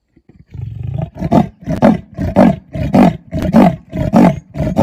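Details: A male leopard gives a rasping, sawing call of rapid harsh grunts, calling to his mate.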